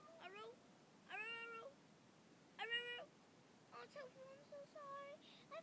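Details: Pet dog howling and barking indoors in reaction to a person screaming, which he hates, trying to howl over her: short rising-and-falling tonal wails in bursts, separated by pauses, with a rich ladder of harmonics.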